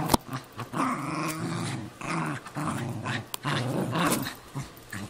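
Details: Cairn Terrier versus Jack Russell Terrier, both household dogs, squabbling over a golf glove; quick growls in pulsing bursts with a couple of sharp clicks or snaps.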